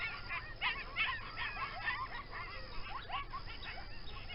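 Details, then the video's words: Coyotes calling close to a rural home, rarely seen but often heard; a busy group chorus of high, quavering yips and short wavering howls, many overlapping rising and falling notes in quick succession, with steady background hiss. "Coyotes Making Noise"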